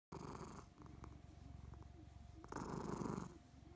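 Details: Somali cat having a nice time, purring steadily with a low rapid rumble, breaths swelling louder on the inhale and fading between.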